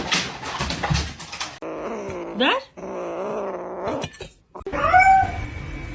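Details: Domestic cat in a funny-cat compilation giving long, wavering, drawn-out yowls. A sharp rising cry breaks in midway, and a higher meow-like call follows near the end, between abrupt cuts and short noisy bursts.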